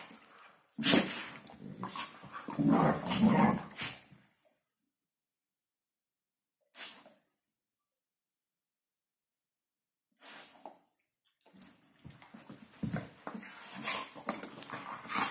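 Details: Hungarian Vizsla doing its New Year's talk: a burst of mixed barks, whines and grumbles for about three seconds, a long silence with a brief yip, then a renewed run of chattering vocal sounds.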